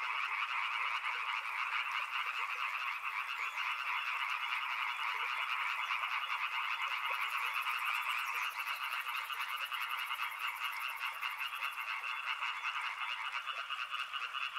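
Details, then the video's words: A riverside frog chorus: countless croaks merge into a continuous, rattling drone at two pitch levels, pulsing about twice a second. A faint high buzzing joins in the middle section and then fades. "Frog Sounds | Soothing sounds of river and frogs"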